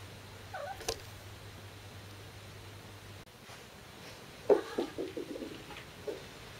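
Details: Kitten under one year old gives odd, strained cries as it runs to fetch a thrown ball made of another cat's shed fur. A short squeak comes early, then a burst of several quick yowling notes, with a low hum beforehand.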